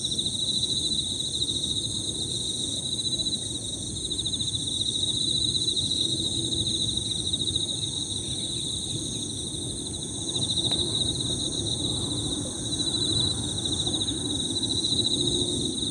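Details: Overlapping Emma field crickets keep up a constant high trilling, pulsed and slightly wavering in loudness, over steady shrill insect tones and a soft low background hum, with a brief click near the middle.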